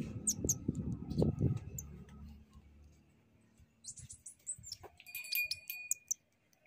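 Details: A baby shrew being returned to its mother gives thin, high-pitched squeaks and twitters in short, irregular bursts over low rumbling noise.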